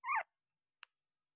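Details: Eleven-day-old Labrador Retriever puppy giving one brief, high, squeaky whimper that rises then falls, followed by a tiny click and then silence.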